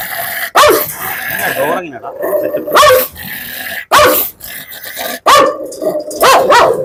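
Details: A dog described as a biter, on a leash, growls and lets out sharp barks at irregular intervals of about one to two seconds, with a man talking in Malayalam between the outbursts.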